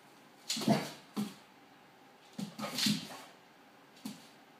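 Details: Olde English Bulldogge indoors reacting to the TV, giving short, rough barks with a low, throaty base. Four or five bursts come in irregular pairs over about four seconds, separated by quiet pauses.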